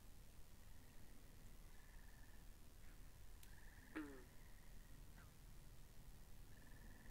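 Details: Frogs by a pond in a binaural recording: a steady chorus of soft buzzy trills, each lasting about a second, with one loud, sharp, descending, rattling croak near the middle over a low rumbling background.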